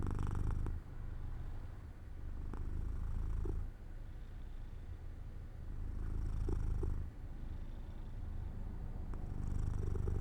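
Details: Low, continuous purring from Jojo the house cat dozing off by an open window in sunlight, rising into louder breathy phases about every three seconds as the cat breathes in and out.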